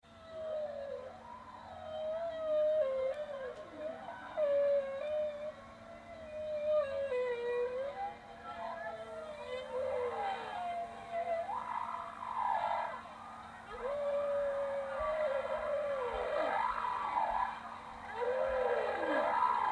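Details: Bowhead whale calling underwater: a long run of tonal whistles and moans that sweep up and down in pitch, some rising to high squeals, others dropping in arched glides, with a steady low hum beneath.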